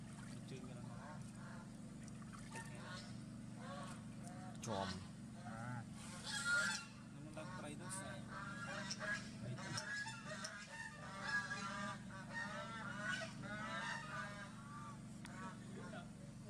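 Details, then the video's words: Pet baby monkey crying and shaking its body, refusing to be bathed: repeated wavering, harmonic wails and squeals, some rising and falling, with a person speaking Vietnamese and background household noise. "Monkey Sovana Crying Shaking Body Cuz Doesn't Want Papa Lin to Take A Bath For Her"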